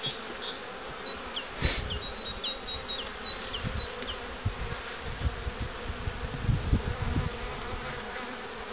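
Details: Continuous buzzing of honey bees at hives prepared to raise queens, one hive serving as the starter for queen cells; a thick hum under repeated knocks and a series of brief, high, downslurred bird chirps.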